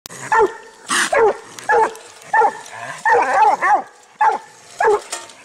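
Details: Six-month-old dog pup barking: loud, short, ringing barks with a slightly bawling tone, given singly or in quick pairs roughly every half second to second, with no other clear sounds.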